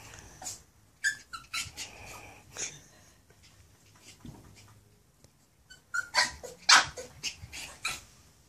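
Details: Toby, a nine-week-old Maltese x poodle puppy, meets his own mirror reflection, giving irregular sharp yaps and growls in clusters, busiest near the end.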